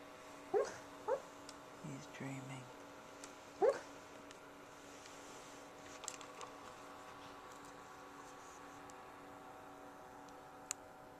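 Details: Dog asleep and dreaming, letting out a few faint muffled yips near the start, then mostly quiet room tone with a low hum and a person speaking briefly.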